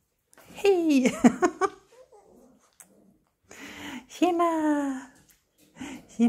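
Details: Six-week-old puppies yelping and whining indoors in a small room, with high harmonic cries sliding downward in bursts around one second and four seconds, mixed with a woman greeting them in Swedish.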